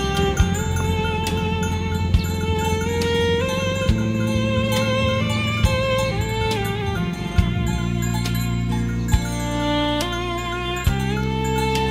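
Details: Traditional folk-style instrumental music with sustained melodic tones and a low drone throughout.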